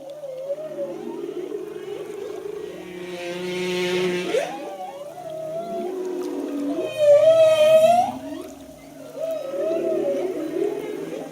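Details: Humpback whale song recorded while snorkelling alongside the whales in Tonga, singing strong enough to feel through the body: long wavering moans and sweeping upsweeps with harmonics, a loud rising cry near seven seconds, continuous layered phrases throughout.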